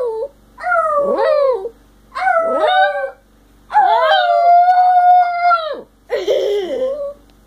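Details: Howling two-year-old male Yorkshire terrier: two quick falling yelping howls, then a long, steady, level howl, finishing with a rough, wavering wail.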